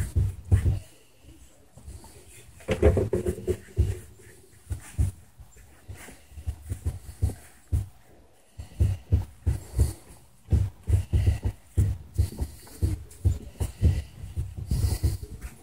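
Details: A dog during a massage breathes in steady, rhythmic pants, quick low puffs repeating about twice a second, with a few quieter pauses and faint indoor rustling.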